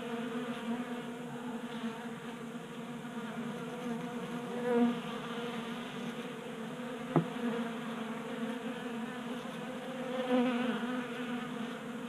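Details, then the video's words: Swarming honey bees feed at a 3D printed feeder in a garage in Colorado during a warm January spell; constant layered buzzing hum with a few louder close fly-bys and one short click. "45 Minutes of Honey Bees Feasting from 3D Printed Bee Feeder"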